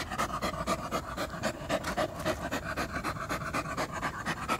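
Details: Pet poodle panting fast and steadily, breathy puffs at about four per second, evenly spaced and close, with faint music in the background.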